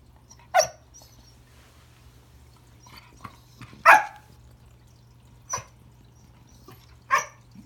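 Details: Pembroke Welsh Corgi named Remington greeting a new friend found under the Christmas tree, giving four sharp barks at irregular intervals indoors, with faint softer yips in between and a low steady hum beneath.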